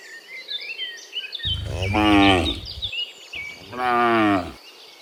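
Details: Two long, deep, rich, droning moos from a herd of dozens of cows walking home from the fields to the pen in the afternoon, over soft background chirping of insects or birds.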